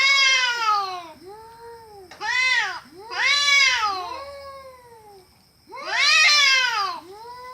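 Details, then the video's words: Cats fighting: loud, harmonic-rich wailing yowls that rise and fall in arching sweeps, four long bursts over about seven seconds with quieter drawn-out moans between them. "cats fighting with horrible sound"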